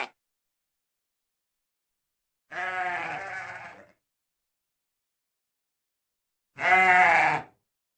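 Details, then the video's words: Two long sheep bleats, the first a hoarse, wavering baa fading out over more than a second, the second louder and brighter, plus a clipped call at the start, all over silence. "real sheep sound effect"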